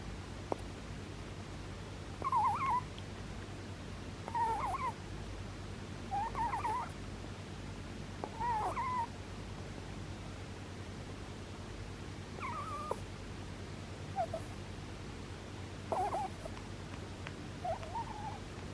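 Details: Rabbit snoring in its sleep, giving a series of thin, wavering whistles about every two seconds, some slightly louder, against a constant low-pitched background hum.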